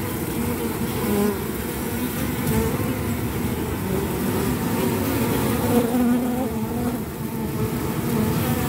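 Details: Forager honey bee carrying sticky orange propolis on its legs: a steady, low, droning buzz runs throughout with faint wavering tones, over constant broadband background noise.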